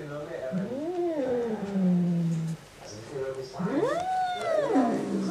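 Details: Angry male house cat indoors reacting to a black cat outside: a low drawn-out growl followed by two rising-and-falling moaning yowls, with faint room noise.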